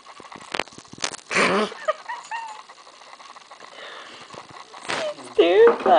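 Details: A brindle female Boston Terrier puppy, terrified of a new stuffed gorilla toy, gives short, high, rough barks and yips, with people talking nearby.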